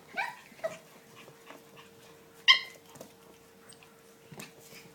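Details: Playful yipping from Kia's 7-week-old puppies: a sharp high yip opens, a shorter one follows, then a loud ringing yelp about two seconds later, over soft rustling.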